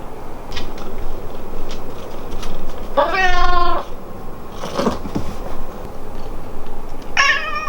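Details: Pet cat Hamu-chan at home, meowing one way to the parents and another to the daughter it loves, utters a single long, steady meow near the middle, then a second meow beginning at the end, over faint household noise.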